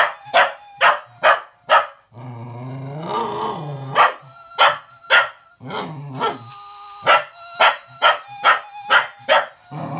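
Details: Young cocker spaniel puppy reacting to a Gizmo toy's whistle: quick runs of sharp barks, a drawn-out grumbling growl in the middle, then more rapid barking over the toy's high whistling.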